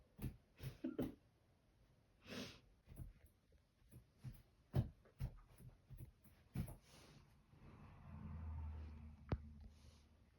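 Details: Sleeping dogs snoring indoors in a small room; short snuffling, snorting breaths come in irregular bursts about every half second to second, ending with a longer, low rumbling exhale and a sharp click.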